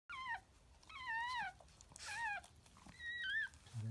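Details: Japanese Chin puppy indoors in a small room, giving a series of high, bending whines with rich overtones, each rising then falling, about four cries in four seconds with short pauses, a woman's soft speech between them.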